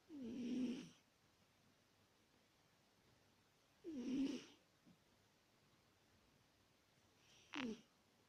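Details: Grown British Shorthair female snoring in her sleep, likened to an old granny: two long, throaty, wheezy snores about three and a half seconds apart, then a shorter sharp snort, in a still room.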